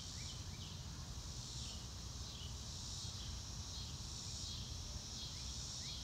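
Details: Crickets on a sunny blue-sky day, recorded in real time without music: a steady high shimmering insect chorus with slow pulsing swells, faint short bird notes, and a low rumble of background noise.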